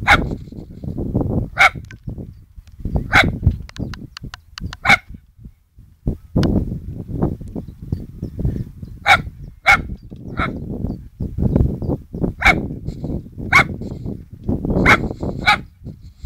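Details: A poodle tells off a radio-controlled plane with sharp barks in bursts of one to three, about ten across sixteen seconds, over a steady low engine drone.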